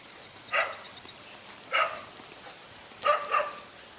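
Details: Barking in a scuffle between a lone dog and two male dogs: three separate short, harsh barks, the last one doubled, spaced over a second apart against a faint steady background hiss.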